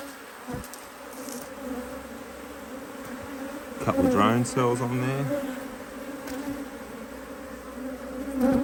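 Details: Honey bees in an Australian HiveIQ hive in mid-Autumn 2023, opened to add a box during fine weather with bees working strongly; a steady, low droning hum with a higher overtone runs throughout, broken briefly midway by a human voice.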